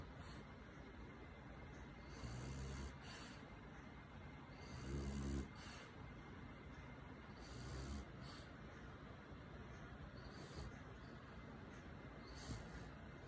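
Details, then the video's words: French Bulldog snoring softly while cuddled in its owner's arms; faint, uneven low rumbling snores at irregular intervals over a quiet hiss, with a few stronger breaths midway. "french bulldog snoring comfortably in my arms"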